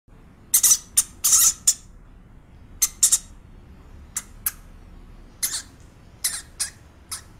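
A hamster gives short, high-pitched squeaks in scattered bursts, some quick and clustered, others single.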